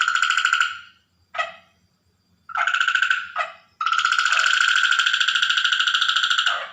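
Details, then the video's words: Water frog calling at night in a natural recording: long, rapid pulsed trills with a bright ringing tone, broken by short bursts and silent gaps, the final trill running unbroken for about three seconds. "Frog Night Sound effects / Record Natural frog at Night / Water frog sound effect at Night"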